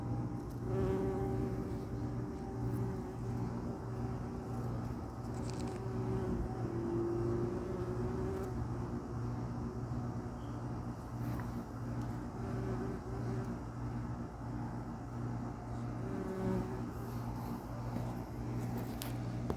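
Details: A bee flying from tree to tree in a garden, recorded close up: a low, steady buzzing hum that swells and fades slightly as it flies close by.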